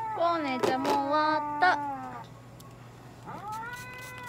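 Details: Kone-chan, a Norwegian Forest cat at a Nagoya veterinary clinic during treatment (light therapy, nail trimming, paw-pad clipping, anal gland expression), gives several drawn-out meows, each bending in pitch. Sharp knocks break in, a steady low hum runs underneath, and a rising meow closes.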